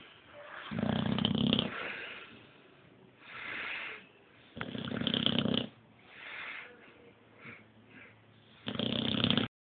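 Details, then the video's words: A sleeping Boxer named Apollo snores as it dreams. Deep, rough snores come roughly every two seconds, alternating loud and softer breaths in a steady rhythm, ending on one strong snore. "Apollo Boxer Dog Snoring"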